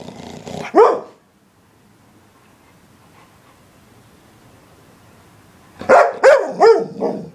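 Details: English Springer Spaniel barking: one loud bark at the start, a long silence, then a rapid burst of four harsh barks in quick succession.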